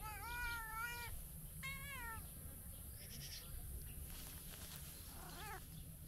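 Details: Tabby stray cat in Turkey waking up for breakfast and talking: two clear drawn-out meows, the second sharply wavering, followed by a fainter rising-falling meow near the end, with low rumble and hiss beneath.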